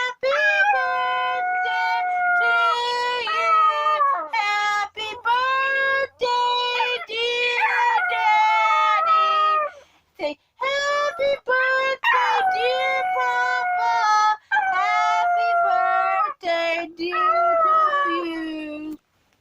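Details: Pet dog howling along as people sing happy birthday indoors: long wavering tonal howls, sliding up and down, blended with overlapping human singing voices, ending with a lower, falling drawn-out note.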